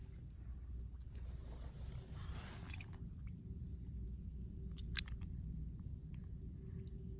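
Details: Low rumbling background with soft crunching and clicking noises, but no animal voice. A few sharp clicks stand out near the end.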